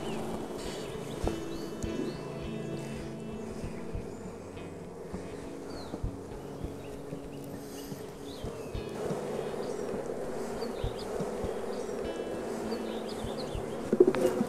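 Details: Honey bees during artificial queen rearing, steady low droning hum of many wings throughout, swelling slightly after the midpoint, with faint high chirps of birds and a soft tonal background hum.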